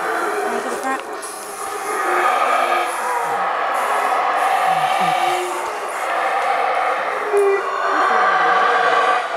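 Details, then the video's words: Howler monkeys in the Monkey River basin near Placencia, Belize, fill the air with a deep, continuous roaring chorus that swells and fades. "Monkey River Howling Monkeys Audio (Belize)"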